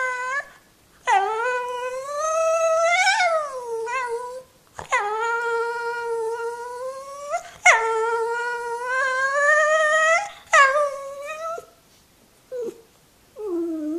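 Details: Jack Russell Terrier indoors giving drawn-out, wavering whining howls in several long bursts, each rising and falling in pitch, separated by short silences.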